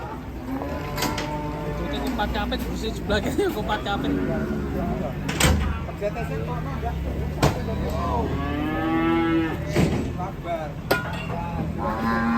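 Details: Enraged cattle bellowing repeatedly: drawn-out, harmonically rich moos, loudest near the end, over a steady low rumble, scattered knocks and some human speech.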